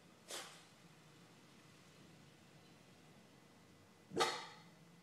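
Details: Molly, a pet dog who usually barks at people walking by, being chatty for no reason: two short, sharp barks about four seconds apart, with a quiet indoor pause between them.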